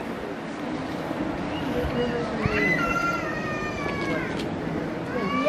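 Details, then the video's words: Two captive giant pandas at Adventure World, Japan, squabbling over bamboo, giving cute calls: several clear rising and falling whistle-like cries with harmonics over a steady murmur of background noise and voices. "かわいい鳴き声で鳴きながら、取り合い♥ この竹がほしい！！"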